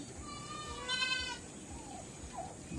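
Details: Farm goat in a backyard pen, in the morning before being let out, gives a single short harmonic bleat of under half a second amid low background noise and a faint whine.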